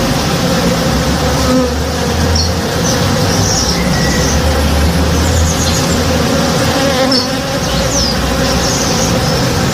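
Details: Morning backyard with honey bees at work around a tree in bloom, giving a continuous deep, even hum that swells slightly at times, with a few faint, distant bird chirps above it.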